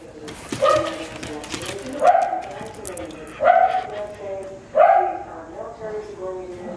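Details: Wire Fox Terrier at play, a rescued female with a male trying to get her attention; four short, harmonic barks spaced about a second and a half apart, with quieter sounds between them.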